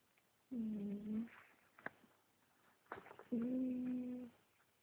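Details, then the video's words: Snoring from a sleeping cat: two hummed breaths roughly three seconds apart, the second steadier and longer, with a couple of soft clicks in between. "The Snoring Cat"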